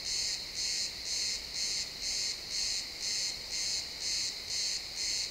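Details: Crickets chirping in a pine forest at sunset, stereo XY recording in real time: steady high-pitched pulsed trills, about two chirps per second in an even rhythm, with a faint soft hiss of woodland ambience beneath.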